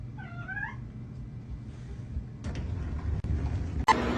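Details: A domestic cat gives one short meow that rises and then falls, lasting under a second, followed by rustling, handling noises and a couple of sharp clicks.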